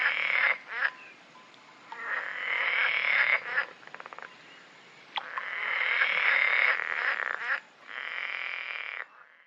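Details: Italian pool frog (Berger's frog) in Corsica, at calm, vegetated water up to 600 m altitude, sings in loud, broken, discontinuous bursts of rasping, chuckling croaks separated by brief pauses.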